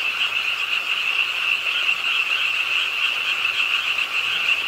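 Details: Night rain at a pond in Suwon's Ingye Art Park brings a frog chorus: bright, rapidly pulsed trills from many callers at once, forming an even, unbroken shimmer over soft hiss.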